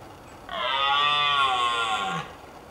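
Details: Red deer stag roaring during the rut in Richmond Park: one sustained, harmonic-rich bellow lasting under two seconds, steady in pitch and then dropping slightly as it ends, against quiet background noise.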